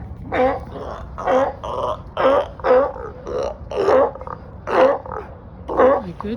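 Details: Loud sea lions gathered on a dock in Marina Del Rey, California, calling to one another: hoarse, harmonic barks repeated roughly once a second in a steady series, with a low background rumble.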